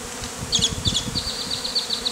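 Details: Honey bees, described as killer bees, swarming over a beekeeper's face during a bee beard performance after hive removal; steady droning buzz with higher whining tones of individual bees flying past.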